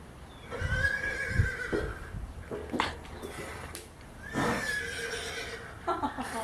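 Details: Horses hearing a horse ringtone played as an alarm sound, most of them curious; two long harmonic whinnies, each about a second, with a quieter one in between, plus murmured human voices.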